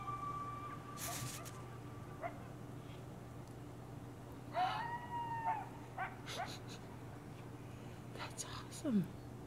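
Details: Night-time coyote pack on Devils Night: a long steady howl held for about two seconds, later a shorter arched howl, with scattered yips, clicks and a low hum between.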